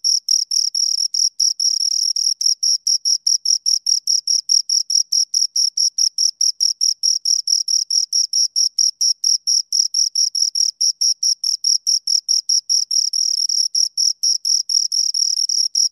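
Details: A pair of crickets gives a long run of shrill, rapid chirps, steady high-pitched pulses following one another closely with only brief gaps, clean and free of other sounds.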